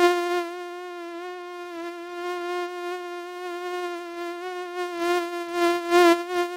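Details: A common mosquito (Culex pipiens) gives a steady, high whining hum from its beating wings, swelling louder near the end.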